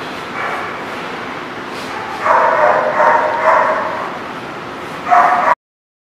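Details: Dog barking, recorded 20 November 2017: a faint early bark, then a two-second run of quick, rough barks, a pause, and one short final burst before the sound cuts off, all over steady background hiss.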